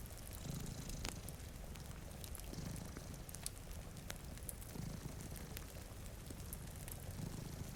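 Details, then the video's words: Quiet, even purr from cats dozing before a rainy window, faint rhythmic rumbles under frequent crackling from a fireplace and steady patter of rain. "Purring Cat"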